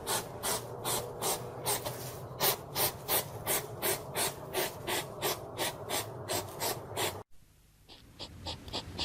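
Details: A hedgehog puffs in rapid, breathy snorts, a harsh rasping burst repeated almost three times a second, a sound said to come when it is angry.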